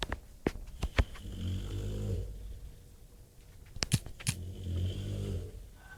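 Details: Bulldog named Bob snoring loudly, two low rattling snores about three seconds apart, with sharp clicks and knocks scattered through the recording.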